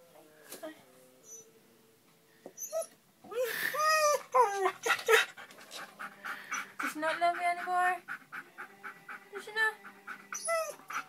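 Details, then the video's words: Jasper the dog crying because Sky won't come out from under the bed: high, tonal whines that bend up and down in arcs, coming in uneven bursts after a quiet start, mixed with people talking nearby. "Jasper crying"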